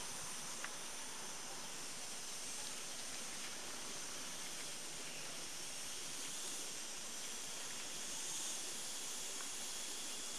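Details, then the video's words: Chicharras, or cicadas, in Almería's Cortijo de Marín on an August 2012 morning, producing a relentless sizzling drone rich in high tones that never pauses, with faint scattered clicks. "el canto de las chicharras"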